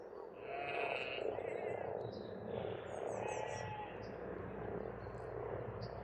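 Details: Massed frog croaking at a spring pond in Estonia, a dense steady mid-pitched chorus, with high thin bird whistles and short chirps above and a faint low hum underneath.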